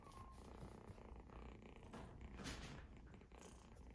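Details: Purring from playful Exotic Shorthair kittens, a continuous low buzzing rumble with slight swells in loudness, joined by faint rustling and a brief high tone near the start.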